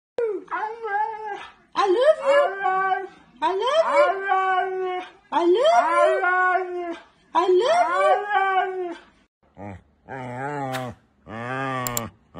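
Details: Husky indoors 'talking': five drawn-out, arching woo-woo vocal phrases, each rising then falling, separated by short pauses. They are followed by lower, choppier voiced sounds near the end.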